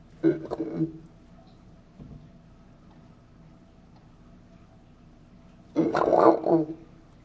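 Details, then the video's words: Angry Pacman frog giving two loud, harsh croaking bursts, the first short at the start and a longer rasping squawk near the end, separated by about five seconds of quiet room tone. "Angry Pacman Frog"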